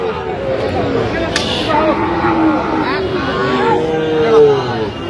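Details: Sahiwal bull calves at a cattle market in Brahmanbaria, Bangladesh, on 21 October 2025, bought by a local farmer; drawn-out, tonal lowing that swells near the end, with crowd chatter and voices around.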